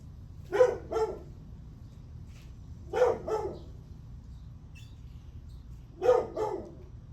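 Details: Dog barking in the morning of July 9, 8:38 am: three double barks, each a quick pair of loud, harsh yaps, spaced roughly every two and a half to three seconds over a low background rumble.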